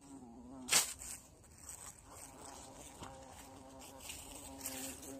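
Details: Bee caught while insect hunting in a bush, giving a steady, low, even buzzing drone throughout, with one sharp knock near the start and faint rustling.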